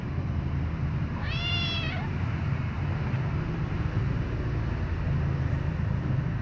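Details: White kitten, one of several baby cats being licked by their mother, gives a single loud meow of about a second, a harmonic-rich note rising then falling, over steady low rumbling background noise.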